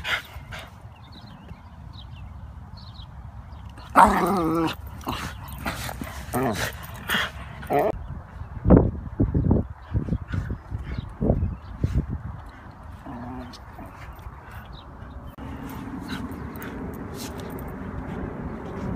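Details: Excited barking from Felix, a Wire Fox Terrier in a stroller who wants out to chase geese: a burst of yelping barks, then a rapid irregular series of barks, with a person talking and outdoor rustling.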